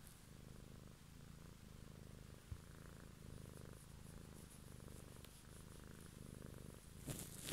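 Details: Evening close-up of a domestic cat purring: a low, buzzing rumble in regular breath cycles under a second apart, ending with a brief rustle.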